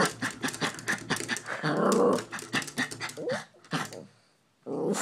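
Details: Excited Maltese dog indoors reacting to a squirrel seen out the window: a low rumbling growl near the middle among harsh panting and snorting bursts, then a short pause before more growling.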